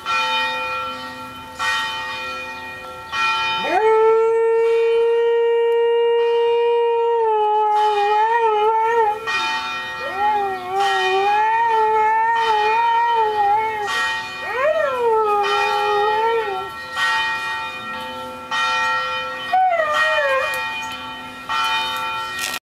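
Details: Niko, a dog, howls along with ringing church bells on a Sunday at 9 AM. Long wavering howls slide up and down over loud, continuous, clanging bell peals.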